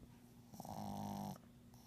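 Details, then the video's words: Sleeping pug indoors snoring, one drawn-out nasal rasp lasting under a second over a steady low hum. "Phil the pug still snoring"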